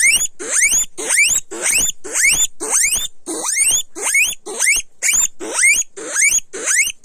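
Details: Loud guinea pig squeals, each a sharp upward-sweeping whistle, repeated steadily about twice per second with brief gaps between them.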